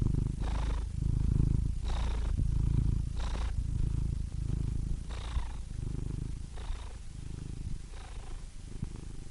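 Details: Cat purring steadily: a dense low rumble pulsing in breath cycles about every 1.4 seconds. Each inhale brings a short breathy hiss. The sound is strongest at the start and softens slightly later.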